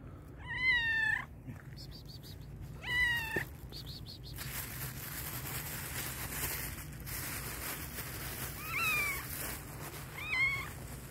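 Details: Hungry black and white cat meowing loudly: two strong, quavering meows at the start, a stretch of broadband rustling noise, then two more meows near the end over a constant low hum.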